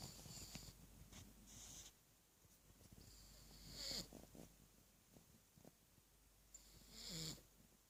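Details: Three-year-old pug sleeping with its tongue out, snoring indoors: soft raspy breaths recurring every few seconds, with louder hissing snorts near the fourth and seventh seconds over a quiet room background.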